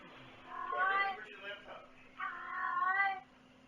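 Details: Indoor domestic cat meowing twice, each meow a drawn-out wavering cry about a second long, the second slightly longer, with a steady low electrical hum in a small room.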